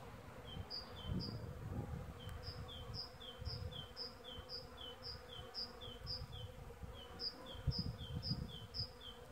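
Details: Early-season western honey bees (Apis mellifera) hum with a low, droning buzz that swells and fades as individual insects pass close by; high, thin chirps from a small bird repeat quickly in the background.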